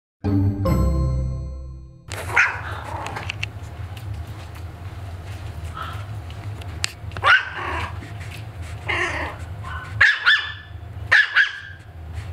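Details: Maltese puppy barking at his own reflection: short, sharp, high yaps in scattered bursts, roughly five spread across the clip after a brief musical opening, with a steady low music bed running underneath.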